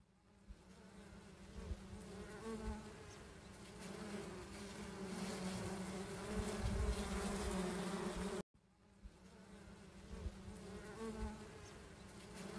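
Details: Wild honey bees, recorded during honey hunting, hum in a dense, steady, low buzz with a rich, droning overtone.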